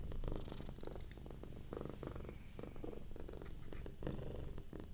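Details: Relaxed domestic cat purring softly, a quieter low rumble with uneven pulses and faint rustling, less clearly paced than a full purr.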